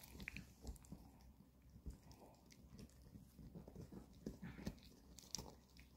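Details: Two pet dogs, a Maltese and a long-haired Chihuahua, indoors eating dog chews on the weekend: steady gnawing and crunching with irregular sharp bites and clicks, low thumps throughout.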